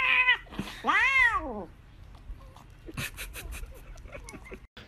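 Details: Female house cat making two short arching meows that rise then fall, the second longer. Clattering and rustling follow, then quiet indoor noise.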